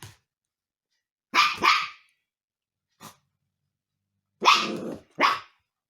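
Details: Husky puppy Umka, mischievous while getting to know the cats at home, fires off a series of sharp high barks in pairs, irregularly spaced over several seconds, with a short quiet yap between.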